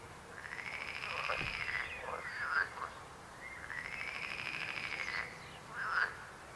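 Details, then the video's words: Frog croaking in a chorus: long pulsed rattling trills around the middle range, each lasting about one to two seconds, separated by short sharp croaks, over a steady background hiss. "Rechot żab. Croaking frog sound."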